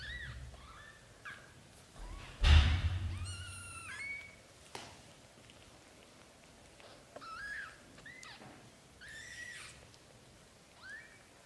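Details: British Shorthair kittens in their first 30 days mew repeatedly with short, arched, high-pitched cries. A loud thump comes partway through, then a longer harmonic wail, and the irregular mewing continues over quiet room noise.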